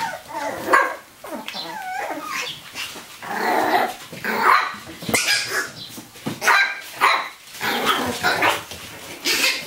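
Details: Eight-week-old Chihuahua and Jack Russell cross pups from a seven-puppy litter born April 2015 playing rough in a conservatory; sharp barks and squeaky rising yips come in clustered bursts every second or two amid thumps and rustling.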